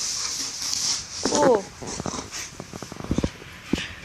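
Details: German Shepherd playing inside the house while hard rain keeps him indoors; a brief rising-falling whimper followed by a run of quick, short huffing pulses, with a steady high hiss in the background.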